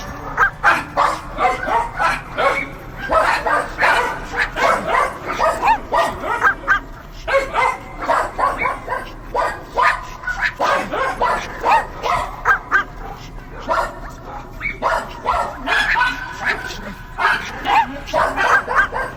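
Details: Dogs barking continuously, short sharp barks packed close together in long runs with brief pauses, several dogs seemingly overlapping.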